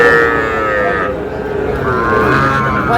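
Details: Young bull calves from a Cumilla farmer's purchase, 14 May 2026. A short, rich-toned bellow opens the recording and fades after a second, with a fainter second call later. Busy market noise and voices run throughout.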